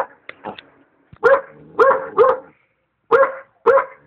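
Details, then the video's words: Young Alaskan Malamute barking while trying to attack a hot air balloon: a few faint yips, then loud harsh barks in a quick pair and spaced singles, gaps between bursts. "Alaskan Malamute attacks hot air balloon"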